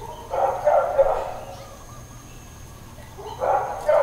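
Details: Distant dog barks in Hawaiian Paradise Park, Hawaii, recorded September 2, 2024 amid long stretches of intermittent neighbourhood barking; two bursts of several rapid barks separated by a quiet gap.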